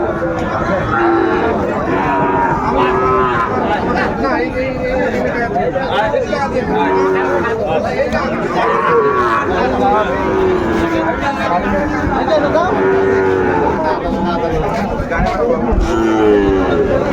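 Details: Sahiwal bull calves lowing at Ambari market, Dinajpur, on 27 May 2024; repeated moos from several animals overlap with loud bargaining voices and continuous crowd noise throughout.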